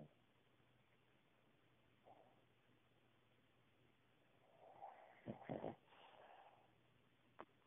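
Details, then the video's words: Cavalier King Charles Spaniel named Cooper snoring through his nap: quiet breathing with a faint hum, then a loud rasping, snorting burst of rattles near the end, followed by a short sharp click. "Cavalier King Charles Snores"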